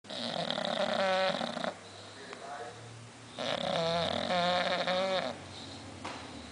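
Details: Sleeping bulldog indoors, snoring in two long rasping, harmonic-rich pulls of about 1.7 seconds each, with quiet breathing in the gaps between them.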